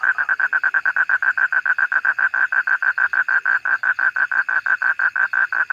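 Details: Toad giving a steady train of loud, evenly spaced pulsed notes, about six per second, all at one mid pitch, with no other clear sounds.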